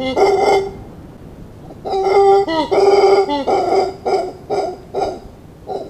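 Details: Howler monkey giving deep, resonant, rasping barks and roars in short bursts, some with a wavering tonal moan, repeated irregularly at about one per second.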